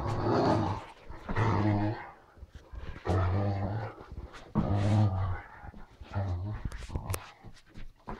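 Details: Indoors in an office, the Great Danes Ole and Oline growl and grumble in deep, throaty bursts of about a second each. Roughly six rumbles come in uneven succession with short pauses and small clicks between them.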